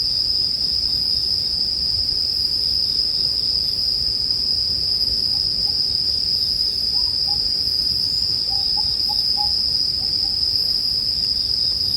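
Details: Chorus of bell crickets beside a bonfire, their high, shimmering ring sustained evenly throughout, with quiet fire crackle underneath and a few faint, short chirps from another creature in the middle.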